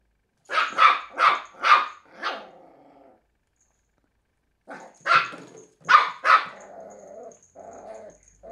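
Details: Cairn Terrier pup, a three-month-old female, attacking an empty bottle: a run of four rapid loud barks trailing into a low growl, a pause, then three more barks and growling.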